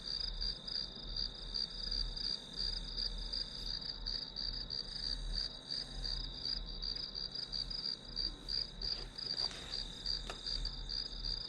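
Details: Steady shrill chirping of grass insects, pulsing about three times a second for the whole stretch, with low hum underneath and a couple of brief faint clicks late on.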